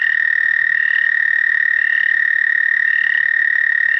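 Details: An American toad at Shaw Nature Reserve, Missouri, in April 2019 gives a long, steady, musical trill held on one high pitch without a break.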